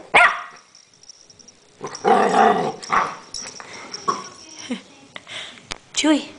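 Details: A puppy barking at a pill bottle gives one short bark, then a person talks encouragingly. Later comes a brief high yip amid clattering and handling sounds.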